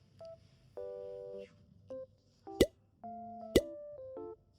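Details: Short electronic beeps and flat sustained tones alternate with two sharp clicks in a quiet room, no animal voices.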